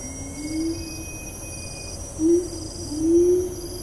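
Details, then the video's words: Siamang at Taman Negara National Park, Malaysia, recorded 4 April 2019, utters three low, smooth rising hoots spaced over a few seconds, against high pulsing insect calls and rainforest hum. "Siamang - Symphalangus syndactylus"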